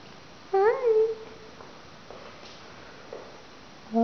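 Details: Adoptable rescue cat Raggles, a talkative young gray-blue "Russian Blue" female, lets out one clear, slightly wavering meow lasting half a second, then near silence with faint indoor noises before another call begins.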